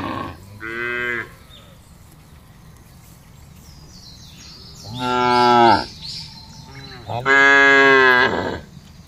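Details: Cattle moving together across a broad pasture as a huge herd is driven along: three moos, a short one and then two longer, louder ones, with faint bird chirps in the background.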